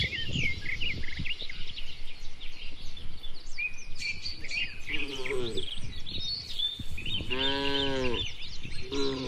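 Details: Cattle herd grazing in open rural land: the first half holds only busy bird chirping, then a short moo, a fuller sustained low and a final clipped moo near the end.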